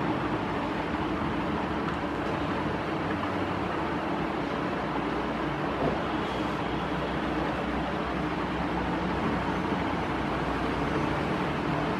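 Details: Steady broadband rumble like a vehicle or train interior, with no animal voices present.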